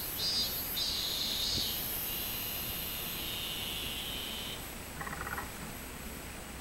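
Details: Robust cicada, 24 July 2016: a loud, sustained high buzz that shifts slightly lower in pitch partway through, then stops abruptly, followed by a brief softer chirping sound.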